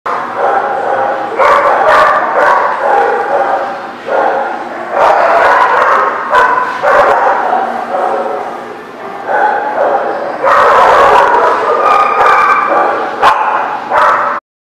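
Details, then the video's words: Several dogs barking at a place called the Barking Lot, recorded 5/7/18; overlapping harsh barks in dense bursts about twice a second, loud and continuous with brief lulls, a chorus of many dogs rather than one. "The Barking Lot"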